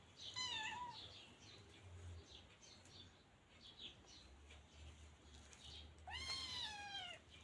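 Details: Two clear meows from a teething Scottish Fold kitten during play. The first is short and falling; the second, six seconds later, is longer, rising then sliding down. Faint high chirping runs beneath.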